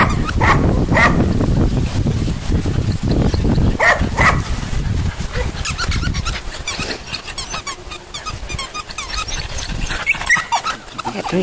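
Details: Poodle puppies giving short high squeaks and yelps, scattered and irregular, over heavy low rustling and thumping handling noise.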